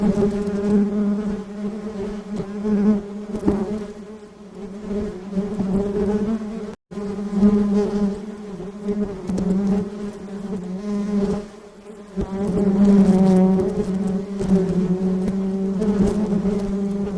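Honey bees hum in a steady, low drone that wavers in loudness as they fly.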